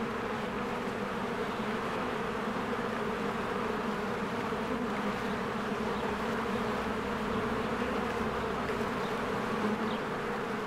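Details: Many honeybees busy at the entrance of their hive during spring bloom, a thick even buzzing drone holding constant throughout, occasional faint distant bird chirps.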